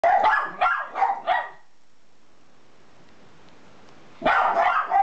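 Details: Miniature Schnauzers in a household, George in a red collar giving very high-pitched barks and Ralphy grumbling: a quick run of four sharp yaps, a silent pause of nearly three seconds, then another loud burst of shrill barks.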